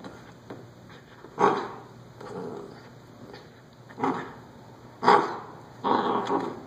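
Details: A corgi confronting shoes gives short, sharp barks and huffs at irregular intervals.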